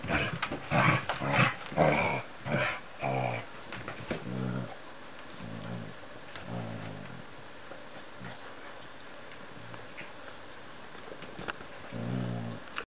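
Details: Dog vocalising indoors: a run of loud, sharp, rough bursts over the first three seconds, then lower rumbling growls in short pulses, fading into quieter grumbles with a faint final burst.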